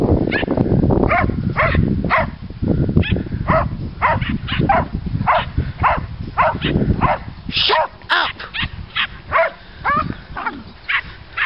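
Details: Border collies, border terriers and Miniature Schnauzers out walking in the fields on 8-06-08: rapid, uneven barking, nearly two barks a second, some higher and yappier, over heavy rumbling wind and handling noise early on.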